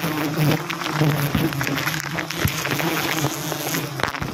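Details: Wild forest honey bees during a wild honey harvest, a low steady droning hum with pulsing buzz bands, mixed with voices, background music and rustling handling noise.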